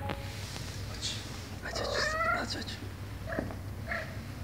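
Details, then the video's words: Indoor mother cat asking for a door to be opened to reach her kittens; a rising, drawn-out meow in the middle with fainter short calls around it, over a droning hum. "Mom cat meows for me to open the door, because her kittens are behind the door"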